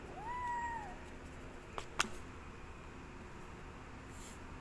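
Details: Cat meowing for food while hungry: one clear, rising-then-falling meow at the start, then quiet room hum broken by a couple of sharp taps or clicks.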